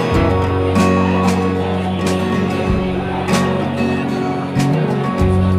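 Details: Strummed acoustic guitar music plays loudly with a little speech mixed in, and no animal voice.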